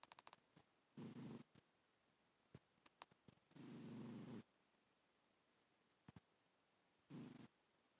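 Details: Black house cat asleep, snoring in a quiet room: three harsh, rumbling breath sounds at irregular intervals, the middle one longest at nearly a second, with light clicking noises between them.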